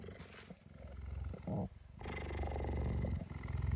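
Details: A female cheetah lying down while a person talks softly to her purrs loudly, a deep, steady rumble pulsing with each breath.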